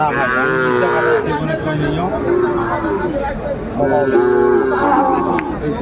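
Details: At a Kurigram cattle market in Bangladesh on 31 December 2024, Sahiwal cattle give two stretched, harmonic moos roughly three seconds apart, partly mixed with men's voices and general market noise.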